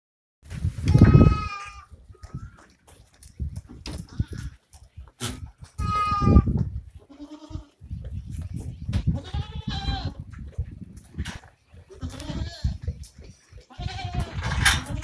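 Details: Osmanabadi goat on a goat farm giving loud, harsh, strongly harmonic bleats near the start and again about five seconds later, followed by several shorter, fainter bleats, with low thumping and handling noise throughout.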